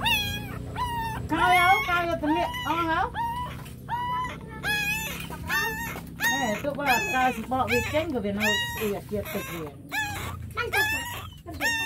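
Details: Hungry puppies nursing from their mother dog, several small pups together: dense, high-pitched whining yelps in quick succession, each a sharp rising-then-falling squeal with bright overtones, some longer wavering whines, and a low murmur underneath throughout.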